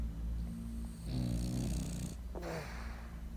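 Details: Sleeping French Bulldog snoring: a low, rattling, drawn-out snore in the middle and a shorter rasping breath after it, over a steady low hum.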